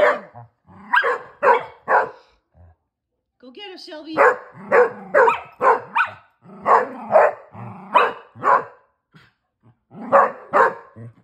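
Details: Shelby, a female Basset Hound, barks while playing with her big sister and brothers: short sharp barks in quick irregular bursts, some in pairs and triplets, with a brief pause midway and voices in the background.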